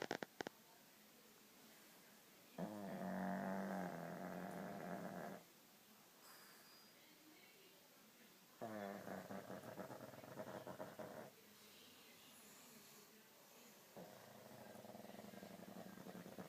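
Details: A dog sleeps and snores: rough, buzzing drawn-out breaths of about three seconds each, repeated roughly every six seconds with quiet pauses between, three snores in all.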